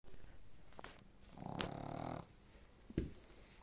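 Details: A sleeping Boston terrier snores, a low rasping rumble drawn out on each breath.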